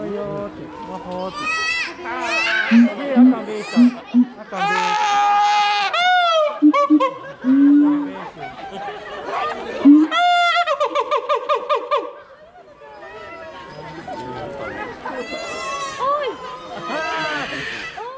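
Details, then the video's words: Keiji, a siamang at Higashiyama Zoo and Botanical Gardens, recorded 7 February 2021, screaming like a middle-aged man: loud wavering hoots and wails that swoop up and down, broken by a fast pulsed burst of barking notes, then rising and falling cries. "『あ゛〜〜〜！！』おっさんの叫び声をするサル｜東山動植物園のフクロテナガザル ケイジくん｜Siamang screaming like an Uncle"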